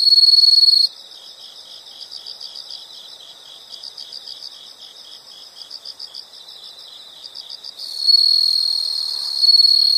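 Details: Insect sounds from a calming nature recording: a brief loud high trill, then several seconds of quieter rapid rhythmic pulses at a steady pace, before another bright sustained trill starts near the end.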